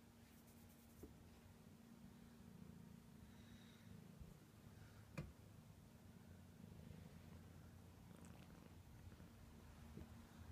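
A British Shorthair kitten purrs steadily, a low continuous rumble with one sharp click midway.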